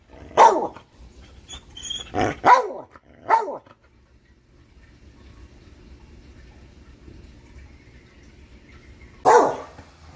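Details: Catahoula dog, called a talking dog, giving a quick run of three or four loud barks in the first few seconds, then near-silence before one last sharp bark.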